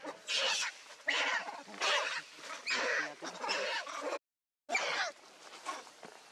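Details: Baby macaque named Leo, hungry and crying to beg his mother for milk: loud, harsh, wavering screams repeated about once a second in long bursts, with a brief pause before a final cry.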